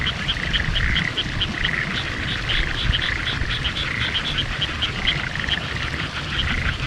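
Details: Frogs calling in the countryside of Hitachiota, Ibaraki Prefecture, Japan, on 6 May 2021, amid fresh spring greenery during a drive. A dense chorus of short, rapidly repeated pulsed croaks overlaps in rhythmic bursts over a steady low rumble.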